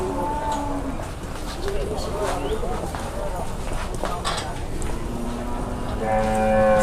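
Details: Cattle at the Muntilan market in Indonesia, being bargained over by buyers and traders. A busy crowd murmurs throughout, with a brief moo near the start and a louder, longer lowing at the end.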